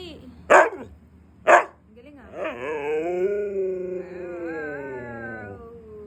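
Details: Siberian husky reacting angrily to not getting treats: two loud barks a second apart, then a long drawn-out wavering howl that rises slightly and slowly fades.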